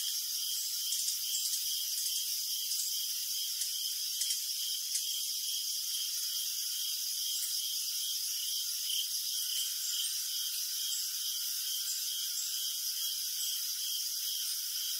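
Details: Crickets at night sound a relentless, rhythmic high chirping, evenly pulsed and unbroken, beneath a thin, bright background hiss from many insects.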